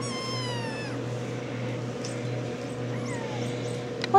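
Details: Ten-week-old RagaMuffin kittens: one long, falling, harmonic meow lasting about a second, then a shorter, fainter falling meow near the three-second mark, over a steady low hum, with a sharp click at the end.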